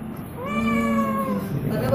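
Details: Cat at a veterinary clinic having its ears cleaned after an ear infection from dirt that made its head tilt left; one drawn-out, steady, slightly falling meow lasting about a second over a low hum.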